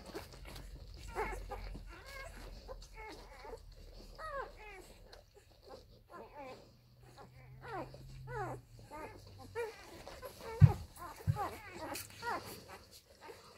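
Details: Labrador Retriever puppies of the F litter nursing at their mother Molly, little Toni among them; short rising squeaky whimpers in scattered bursts over a low indoor hum, with one sharp thump near the end.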